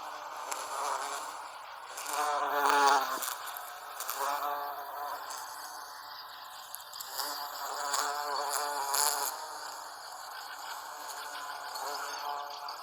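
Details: Buzzing of an American bumblebee (Bombus pensylvanicus) working Salvia clevelandii blossoms, a low droning hum that swells in two louder bursts and then fades under steady broadband background hiss.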